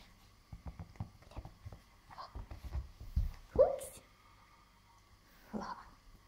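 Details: Welsh Terrier puppy Bertha, aged seven and a half weeks, plays with a ball indoors, dated 4.3.2014; soft thumps and scuffles lead to one sharp rising yelp, then a brief whine, with people talking quietly nearby.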